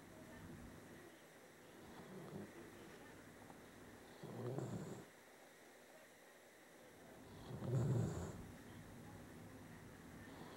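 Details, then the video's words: A pet dog, male, dozing and snoring less enthusiastically than before: two deep, breathy rumbles roughly three seconds apart, the second louder, in a quiet room with low background hum. "My dog snores!"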